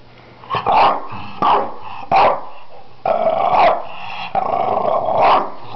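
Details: French Bulldog named Hugo from Finland giving a series of gruff, growly barks with uneven gaps, some drawn out into rough grumbling vocalisations, recorded close up indoors.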